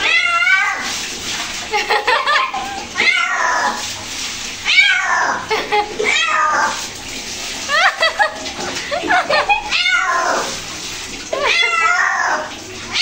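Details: A cat at bath time cries in a fast, uneven string of meows, some short and some stretched, with a human voice and splashing water in between.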